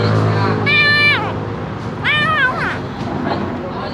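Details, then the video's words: A hungry kitten calls out with two drawn-out, high, wavering meows that bend downward at the end, separated by a pause, against a low mechanical drone and faint voices. "Anak kucing lapar keluarkan suara aneh!"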